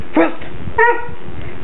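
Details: Jack, a four-month-old Black and Tan Coonhound puppy, speaks on command as a trick: two short, high, yelping barks about half a second apart over a steady background hum, with a voice urging him louder just before.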